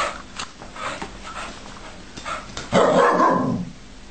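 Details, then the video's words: A dog wanting his bed back: faint scattered yaps early, then one louder, broad, harsh bark-growl near the end lasting under a second, in a quiet indoor setting. "This dog wants his bed back!"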